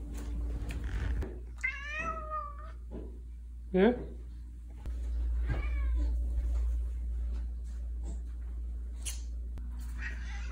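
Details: Male Siamese cat indoors meows repeatedly: a wavering, bent meow near the two-second mark, a sharp, louder one at about four seconds, then a drawn, quavering meow, mixed with a person's speech and a steady low hum.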